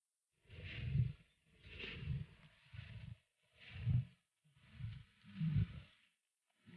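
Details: Wild lions facing slender cheetahs, three against one, as opportunists taking a kill. Five or six deep, rasping growls, each about a second long, swell and fade with brief pauses between them.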